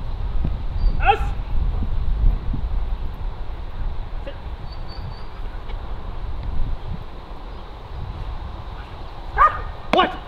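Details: Kraftwerk K9 German Shepherd tested for stress resilience and nerve strength: single sharp barks, one early, then a close pair near the end, separated by long stretches of low wind rumble and faint background voices.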